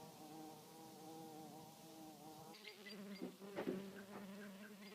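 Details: Red mason bee in flight, a clear sustained buzzing drone with a rich layered tone that wavers slightly in pitch, then shifts lower partway through as the insect moves, with light clicks.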